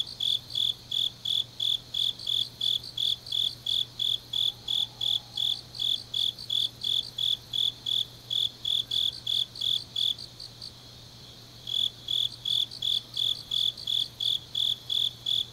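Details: Grass insects on an autumn night in Changnyeong, South Korea, giving shrill evenly spaced chirps about three per second, briefly pausing near the two-thirds mark before resuming; faint low hum throughout.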